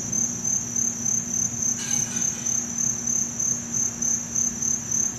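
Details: A field cricket in Montgomery Village, Maryland, in August 2012 chirps steadily, high pulsed trills repeating about three times a second.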